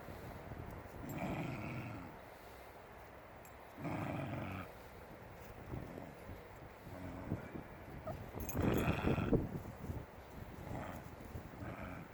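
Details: Shiba Inu puppies aged five weeks play outside with some adult Shibas, letting out three rough growling bursts spaced a few seconds apart, the last the loudest, amid scuffling, footsteps and outdoor background noise.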